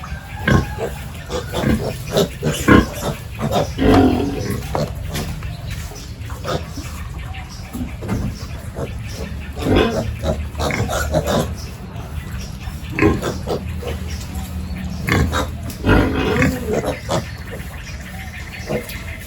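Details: Farm pigs at morning feeding time while pens are cleaned, producing a steady run of low, coarse grunts and snorts over a constant rumble of pen work and movement.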